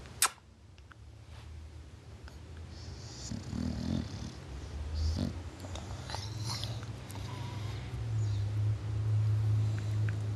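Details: A sleeping English Bulldog snoring in a low, continuous rumble that grows stronger toward the end, with a sharp click near the start and faint rustling throughout.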